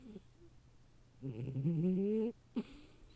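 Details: Sleeping female cat, snoring as loudly as a person, gives one drawn-out, buzzy snore of about a second that rises slightly in pitch, then a brief soft snort; she naps in a cardboard box.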